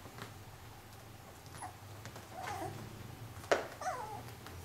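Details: Cilène, a four-week-old female Pyrenean Shepherd puppy that holds her own against her sturdy brothers, gives short high whining yelps with bending pitch near the end, over soft shuffling and a low steady hum.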